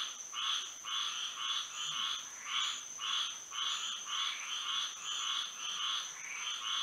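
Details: A Florida night chorus of frogs singing in moonlight, made of pulsed croaks arriving in clustered bursts, with brief gaps between groups and a continuous high-pitched whine behind them.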